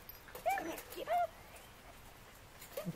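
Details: Hounds trying to catch an escaping squirrel: two short, high, strained yelps about half a second apart, then a quieter whine near the end over a hushed outdoor background.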